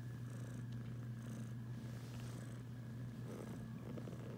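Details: Female pet cat purring indoors while snuggling up beside her owner; a steady, low continuous rumble that runs unbroken through the whole stretch, with soft rustling and no voices.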